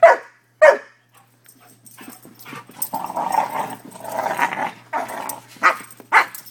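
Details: Two 5-month-old male Newfoundland-Labrador mix puppies, brothers from one litter, play and give sharp, high barks and yips, with a stretch of lower growly noise in between.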